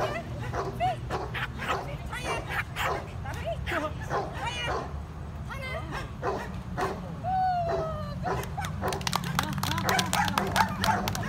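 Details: Excited Pomeranian in agility training barking in rapid, irregular bursts of shrill yaps, more than three per second at times, with one drawn-out falling whine midway and human speech mixed throughout.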